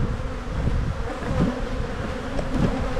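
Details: Colony of honey bees humming as frames are rotated during a spring buildup inspection, with the queen above an excluder; continuous droning buzz with faint higher whines of passing bees and some low rumble.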